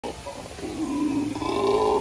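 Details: Howler monkey howling in captivity at the San Antonio Zoo: a loud, sustained droning roar with a tonal band that climbs gradually in pitch over two seconds, continuous without breaks.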